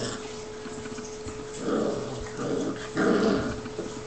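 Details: Seven-week-old Newfoundland puppies, brothers Huck and Sawyer, wrestling each other for fun; three short gravelly growls rise out of a quiet, humming room, each under a second long.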